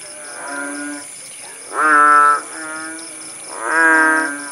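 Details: Frogs (kodok bangkong) in countryside at Paya Bujok Tunong, Langsa, Aceh, recorded after rain eased: three deep, nasal, mooing croaks with rich harmonics, each about half a second, the louder ones rising then holding, over a steady high whine.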